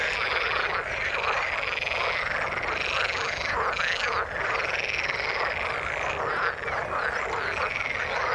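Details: Frogs in the water croak together in a constant, even chorus of rapid pulsed calls, with occasional higher tonal notes rising above the mass; level stays steady for the whole stretch.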